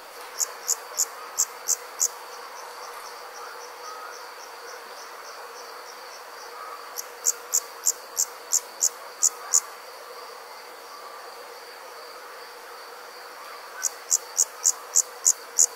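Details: Insects heard at night in summer in rural country: three separate bouts of fast, shrill chirping with long pauses between, layered over a steady high-pitched drone.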